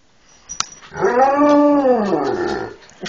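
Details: Talking Huskies alongside Malamutes, lying on a bed and urging their owner to rise and feed them; a single arched, moaning vocalisation swells up in pitch and slides back down over about two seconds, preceded by a faint click.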